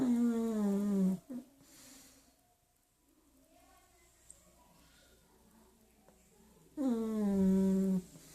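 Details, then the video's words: A pug asleep indoors gives a long buzzing snore that slides slightly downward, then near silence with faint breath noise for several seconds before another rasping drawn-out snore near the end. "Pug roncando"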